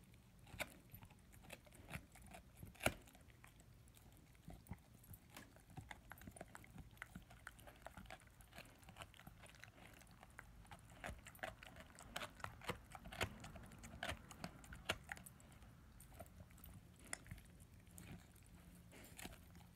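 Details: Ten-month-old German Shepherd/Labrador puppy gnawing on his first bone: soft, steady stream of wet crunches and sharp clicks, fairly quiet and close, with occasional louder snaps standing out.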